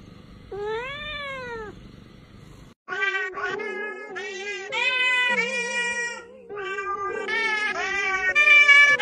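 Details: Domestic cat from a funny cat compilation: one drawn-out, arching meow, then a dense stretch of overlapping wavering, tonal mewing calls that rise and fall, growing louder toward the end.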